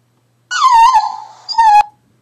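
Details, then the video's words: Pet dog "talking": a whiny, tonal vocalization in two parts, first sliding down and wavering, then after a short pause a steady, level note, about a second and a half overall in a quiet room. "my talking Dog"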